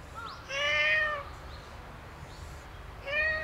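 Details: Stray black cat at a shrine, rubbing against a visitor, gives two clear meows: a longer falling-pitched mew, then a shorter one about two seconds later, over quiet low background noise.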